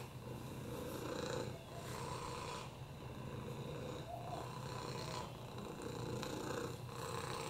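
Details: Oliver, a domestic cat with a broken hip, upper respiratory infections and FIV, purrs on a lap: a low steady rumble that swells and fades with each breath, roughly every second and a half, in a small quiet room.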